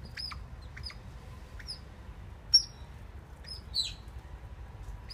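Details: At Copenhagen Zoo on 17 November 2016, Oriental small-clawed otters working on a nest utter brief piercing chirps at irregular intervals, a couple louder and slightly trailing, with faint low-frequency background noise.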